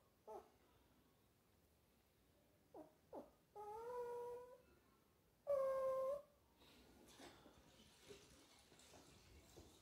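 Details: Small dog whimpering during a sad movie scene: a few brief whines followed by two longer, steady high-pitched cries, then quiet with faint room sounds.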